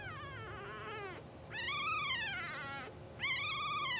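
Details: Newborn English Bulldog puppies, two hours old, from a blue sable litter, sleeping and twitching, utter three drawn-out tonal whines that arch up then slide down, the last one sharp and loud, with a faint constant hum behind.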